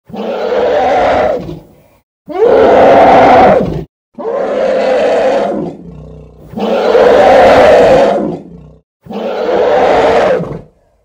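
An elephant gives five loud, harsh roars in quick succession, each about a second and a half long.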